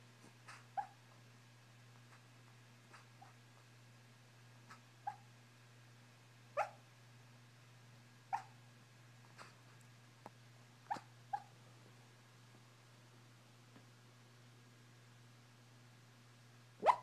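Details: A female pet dog dreaming in her sleep indoors gives scattered soft muffled yips and woofs, irregularly spaced across the recording with quiet breathy sounds between, and a final louder yip, over a constant low hum.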